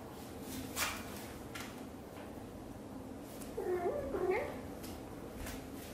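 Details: Mother cat Xaxa, a blue golden British Shorthair, grooming her tiny kitten Piano, gives a quick pair of short chirping meows after a quiet spell of soft licking and rustle.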